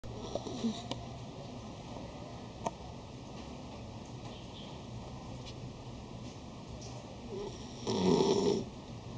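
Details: Dog snoring while asleep indoors, recording dated 101.10.11: soft, low rasping breaths repeating steadily beneath a faint hiss, with a few small clicks and one louder, rougher snort near the end.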